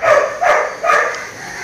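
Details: Maara, a young Labrador Retriever in training, gives three loud, clipped barks spaced about every half second, then a fading tail of quieter sound.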